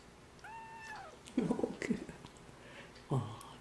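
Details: Baby kitten giving a single thin, high, drawn-out meow that slides slightly downward, followed by a woman's soft cooing voice.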